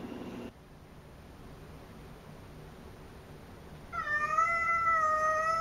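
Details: Cassidy, a very talkative pet cat, indoors: after a few seconds of quiet room hum, one long, clear, tonal meow begins near the end and holds steady with a slight waver until the clip stops.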